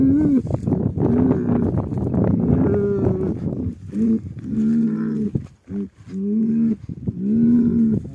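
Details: Mournful lowing of cattle grieving over a dead animal: a run of about eight sustained, nasal moos, each holding a fairly level pitch with slight rises and falls. They are separated by short pauses and some overlap one another.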